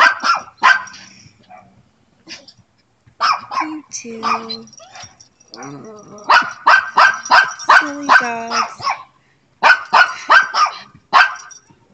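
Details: Pet dog chatting with a neighbour's dog, calling for a response: bursts of loud rapid barks mixed with whining, yelping tones and a brief human voice, then more fast barking runs.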